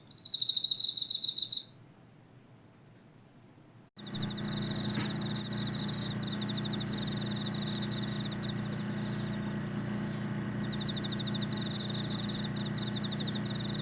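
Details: High insect trill at first, then after a pause a louder noisy background with sharp chirp bursts repeating roughly every second.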